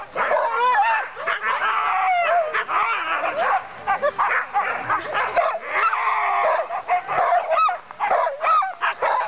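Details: Dogsledding team of many dogs giving an excited, unbroken chorus of high yips, barks and rising, wavering whines and howls, voices overlapping densely from start to finish.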